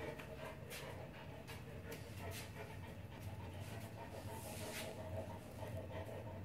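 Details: A four-month-old Neapolitan Mastiff puppy pants rapidly and evenly during ball exercise, steady breathy bursts over a low constant hum.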